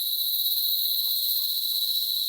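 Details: Cicadas in the Dominican Republic countryside, present everywhere in the trees: a continuous, unbroken high metallic buzzing drone, steady in loudness throughout, with no other clear sounds.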